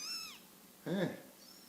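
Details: One-month-old Scottish Fold kittens: a high falling mew, then a lower, rougher voiced sound, then a faint high mew at the end.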